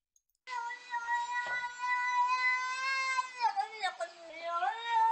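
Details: Domestic cat meowing, collected from internet footage: one long, drawn-out, tonal meow held steadily for nearly three seconds, then breaking into shorter wavering, bending cries.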